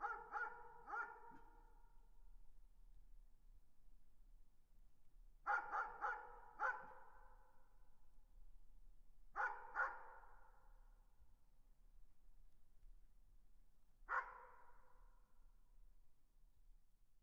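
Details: Dog barking at a distance in short groups: a pair, a run of three, another pair and a final single bark, each echoing briefly before near silence returns.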